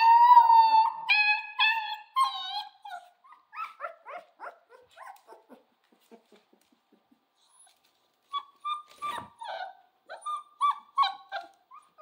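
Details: Central Asian Shepherd Dog (alabai) puppy howling: drawn-out, wavering harmonic howls in the first three seconds, then a run of short yips and whimpers, a brief silence, and more thin whines toward the end.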